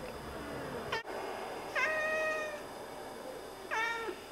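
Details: Oriental Siamese cats chattering to birds from indoors: a quick stuttered chirp, then two steady harmonic meows each lasting roughly half a second to a second, with a sharp click between.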